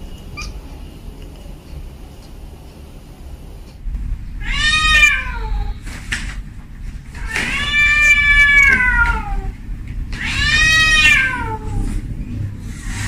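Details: Female house cat calling a tom indoors at home: three long, drawn-out yowling meows, each rising then falling and lasting over a second, spaced about three seconds apart over low room noise.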